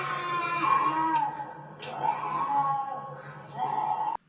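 A bobcat gives drawn-out, wavering yowls, three rough cries in a row over a low steady hum.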